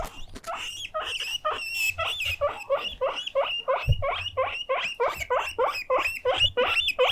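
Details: Demanding pet guinea pig Mokohei calls for attention and play with fierce, alarm-loud wheeks: dense, rapid shrill whistles, each sharply upswept, repeated about three per second, with faint low thumps and rustling beneath.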